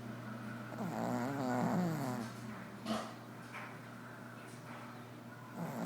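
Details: Jackson, a Shih Tzu, snoring: a rough, rattling low snore swelling over about a second, followed by softer breathy snuffles and a steady low hum underneath.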